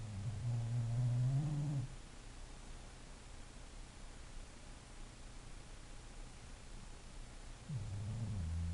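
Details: English bulldog snoring: a deep, rumbling, low-pitched snore lasting nearly two seconds, then a long quiet pause of steady background hiss, then the next snore beginning as a low rumble near the end.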